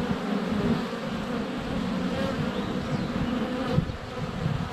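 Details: Close-up GoPro Hero 7 Black recording of honey bees at their hive entrance during sunny February weather. A rich, low, unbroken buzz of many wings with a slight thump near the end, perhaps a bee landing on the camera.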